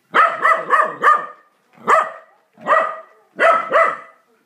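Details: Corgi angry at the vacuum cleaner gives a rapid run of four barks, then three more single or doubled barks about a second apart, each bright and harmonic.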